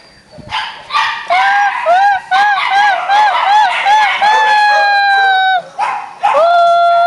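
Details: Playful Beagle puppies giving a fast run of short, arching yelps and yips that merge into longer high whines, with a final rising whine at the end and faint background noise.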